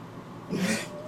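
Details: Domestic cat meowing while being bathed in a bathtub, which it dislikes; a single short muffled meow lasting about half a second over splashing water, with a person speaking just before.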